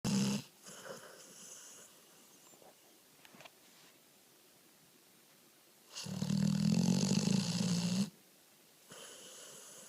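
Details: Pony, a rescued American Pit Bull Terrier taken in off the street two months earlier, snores asleep: a loud, rough, buzzing snore at the start and a longer, steady, droning snore near the end, with quieter breathing between.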